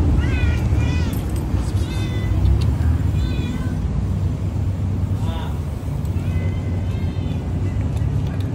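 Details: Loud orange cat giving a series of short, insistent meows, some rising then falling, repeated about once a second, over a constant low engine-like rumble with faint background voices.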